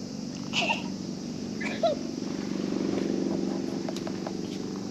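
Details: At a fishing port, a cat that was sleeping purrs happily as a child visiting to fish pets it; a continuous low pulsing rumble, with a few short voice-like sounds early on.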